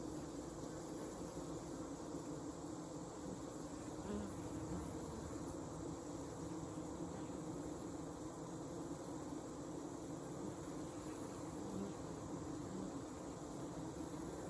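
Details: Honey bee hive on a hot summer evening, 8 August 2020, on a farm in Alexander County, North Carolina: a steady, dense, low droning hum from many bees runs unbroken throughout, with faint thin high tones above it.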